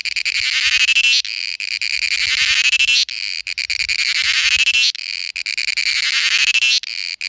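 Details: Cicada singing, a loud, dense, high buzzing drone with shimmering rasp, swelling and dropping in bursts roughly every two seconds, nearly continuous with brief breaks, no other clear sounds.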